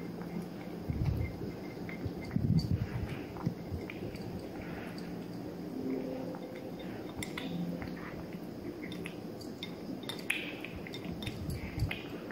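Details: Three-month-old kitten Kosey, a Maine Coon Persian mix, chews his food in a small indoor room. Moist smacking and crunching come in bursts, with louder bites near the start and faint clinks like dishes.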